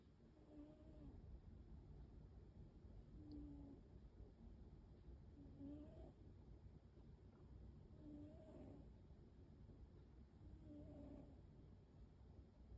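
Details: Snoring of an American Shorthair cat named Waffle, a pet at home: soft, low, whistling tonal snores repeated roughly every two and a half seconds over a steady low background hum.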